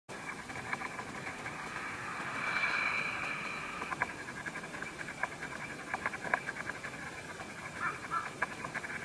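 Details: Vine hawk-moth; chewing; caterpillar feeding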